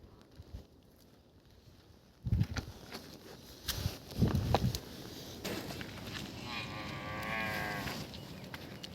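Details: Water buffalo at milking time on a farm, giving low, short moo-like calls at about two and four seconds. A faint wavering tone follows in the later part, over quiet rural background noise.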